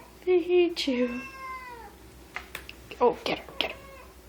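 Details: Two female domestic cats indoors complain at a new kitten; strong, harmonic, drawn-out yowls bend downward through the first two seconds, followed by shorter broken calls amid a woman's voice and household noise.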